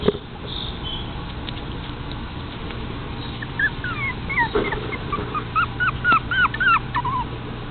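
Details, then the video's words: Toy Fox Terrier puppies playing with a ball: thin, high whining yips rising and falling in quick clusters, growing busier in the second half, over a steady low hum. "Toy fox terrier babies with ball"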